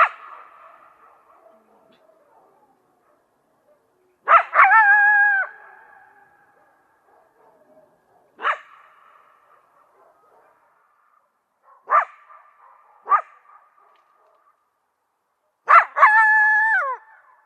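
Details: Coyote giving sharp barks and yips in irregular bursts, some breaking into short wavering wails, with an echoing trail after each call and quiet gaps between them.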